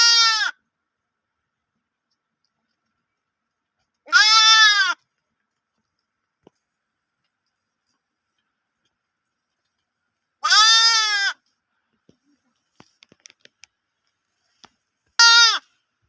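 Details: Lamb bleating loudly, four long harmonic baas spaced several seconds apart, each slightly rising then falling, with faint clicks between calls and otherwise quiet surroundings.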